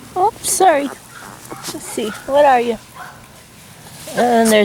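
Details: Labrador Retriever puppy whimpers from a litter of young pups, 28 October 2013: three wavering, high, harmonic whines that dip and rise, spaced about two seconds apart, with gentle cooing voices in between.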